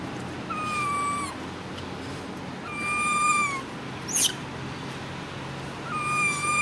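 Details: Loud screams from a standing baby monkey: three long, level, piercing tonal cries, each about a second, spaced two to three seconds apart, with a brief sharp click between the second and third.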